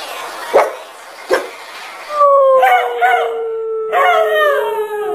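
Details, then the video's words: Dog sounds in an angry-dog compilation: two short barks, then a long sustained howl gliding slowly downward, with a second wavering howl overlapping near the end. "dogs barking sounds angry"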